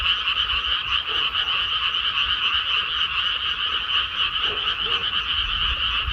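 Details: Frogs calling en masse in a freshly planted rice field: continuous, shimmering wall of quick grating croaks layered at a middle and a higher pitch, unbroken from start to finish, a few faint low sounds below.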